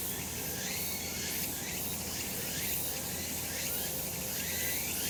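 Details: Cicada chorus on a summer mountain in sunshine: steady, high shrill buzzing with rippling surges, dense and continuous, over a low, even rumble.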